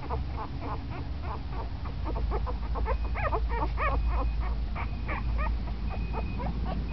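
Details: Ten-day-old puppy, newly active and moving around, giving a rapid run of short, thin squeaks and whimpers, several per second, some rising sharply. A constant low rumbling background runs throughout.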